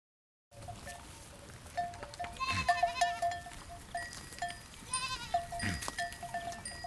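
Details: Goats bleating in a herd: two wavering, harmonic bleats around the middle and a shorter one later, set against steady ringing of cowbells and a noisy outdoor background.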